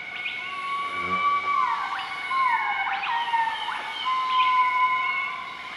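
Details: Morning duet from a group of southern white-cheeked gibbons, Nakai-Nam Theun National Protected Area, central-eastern Laos, 20 March 2014: long gliding whistles sliding up and down, with sharp upward swoops, above a steady insect hum.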